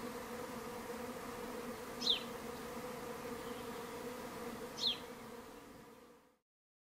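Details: Swarm of minimum-intervention, treatment-free honey bees at an empty garden hive in May. A steady droning hum with layered low harmonic bands carries throughout. Two brief high bird chirps cut through before the sound stops abruptly near the end.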